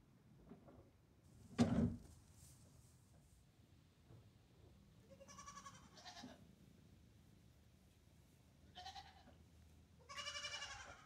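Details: Nigerian Dwarf goats in a barn stall with newborn kid Hector, two days old, and barn kittens; a thud, then three separate nasal, wavering bleats later on, the last one longest and loudest.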